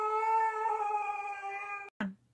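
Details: Dog in a funny pet compilation, coaxed off the couch, gives a long steady howl-like tone held for nearly two seconds, then a short thump and a bit of music.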